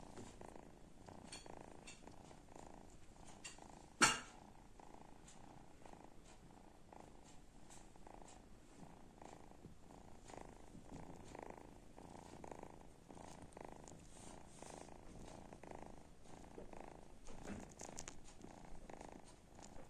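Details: Kitten snores in a fast, even run of soft purring pulses that keeps going for twenty seconds; a single sharp clink near four seconds and some faint ticking around it.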